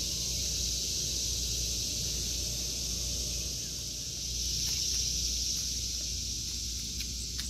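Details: Cicadas in a vegetable garden in August 2023, giving a steady, high, hissing drone that holds without break for the whole stretch, swelling slightly near the end, with a faint low rumble beneath.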